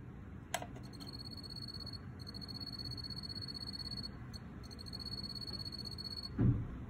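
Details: A wild-caught male field cricket (Teleogryllus, possibly T. occipitalis) sings a high, clear, pulsing trill in bursts of about two seconds inside an earthenware jar.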